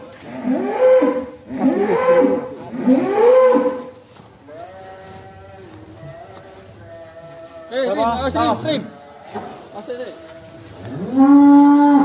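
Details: Agitated jumbo cattle leaving the pen on a farm, giving bursts of loud bellowing moos, first three in quick succession, then quieter drawn-out tones, a rough strained bellow, and a final long loud moo.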